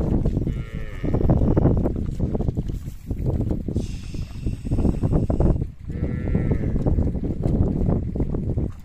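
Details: Herd of cattle trooping down to a river amid loud low trampling noise; two short moos, one early and one later, plus a brief higher tonal sound in between.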